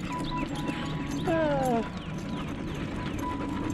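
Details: Tonka the malamute and Monroe, tired after bikejoring and running alongside. A single short whine slides downward in pitch, set against faint steady background noise and light rustling.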